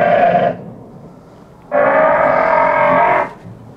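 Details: Adult female Galapagos fur seals give harsh, harmonic bleating calls, each female's voice individually distinct; mothers recognise their own pups by voice and can be aggressive when the wrong pup tries to nurse.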